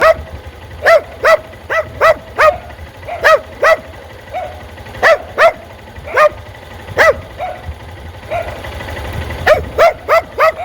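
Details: Dog barking at motorcycles; sharp single and doubled barks in clusters, repeated through the clip, over a steady low rumble of traffic.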